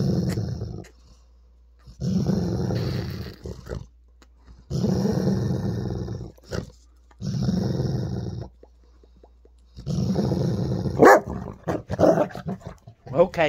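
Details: Weimaraner dog, male, grumbling and growling in annoyance while someone plays with his ball, 16 October 2022; five low, gravelly rumbles of one to two seconds each, evenly spaced, ending in sharper snapping noises and background music.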